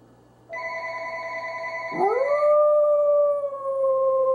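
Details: Corgi howling in one long drawn-out note that swoops upward, then holds steady and slightly falls, over a steady ringing electronic tone that begins just before it.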